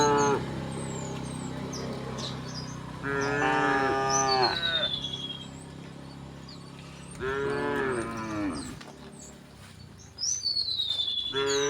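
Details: Several cows walking through a village towards the fields moo in long, harmonic-rich bellows, while birds chirp and whistle in the background.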